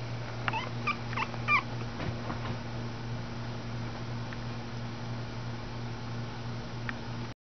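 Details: Schipperke puppies born June 2011 in Oklahoma, offspring of Champion Shacre's Rock N Elvis; a quick burst of four or five thin, high squeaky whimpers in the opening seconds, then a steady low electrical hum with occasional faint clicks.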